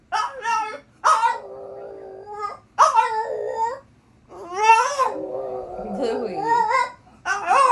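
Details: French Bulldog in the United States talking back to its owner with objections: long whiny, warbling yowls and grumbles that rise and fall in pitch, in four drawn-out bursts separated by short pauses.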